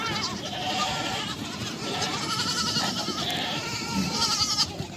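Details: Farm goats with kids during a goat and kid reunion, kids suckling from their mothers; a dense chorus of quavering bleats runs throughout, several animals calling at once amid general noise.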